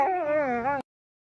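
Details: Siberian Husky that dislikes fire gives a short, wavering howl under a second long, dipping slightly in pitch before rising again, then cutting off into silence.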